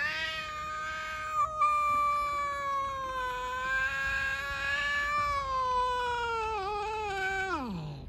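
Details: Hungry, aggressive stray cats living outdoors, four together, trying to attack each other: one long, loud, harmonic-rich meow held steady for about seven seconds, wavering near the end, then sliding sharply downward as it fades.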